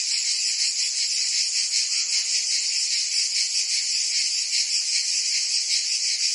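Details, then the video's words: Provence cicadas in summer, singing together in a steady, high, rasping drone with a fine rhythmic flutter, constant level throughout and nothing else audible. "Cicadas singing in France (Provence)"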